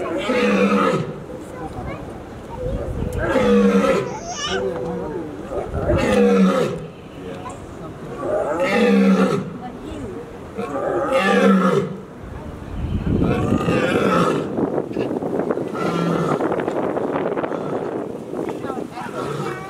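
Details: Lion. A lion delivers a roaring sequence of heavy, resonant grunts spaced a few seconds apart. Near the end the grunts blur into a rumbling wash of sound, with what may be human voices in the background.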